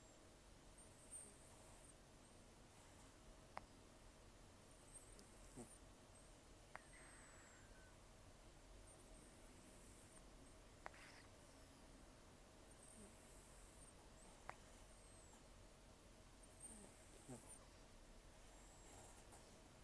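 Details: Sleeping rescued cat Taro, about 10 to 14 years old, taken in October 2024 after long outdoor life, nearly toothless, with very rough snoring and nasal breathing; soft airy hissing breaths return about every four seconds, with faint clicks between, in a quiet room.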